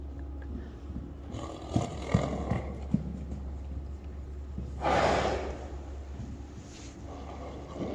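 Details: Friesian horse Queen Uniek trotting and cantering happily; a loud, breathy blowing snort lasting about half a second near the middle, after scattered dull hoof thuds on soft ground, with a steady low hum underneath.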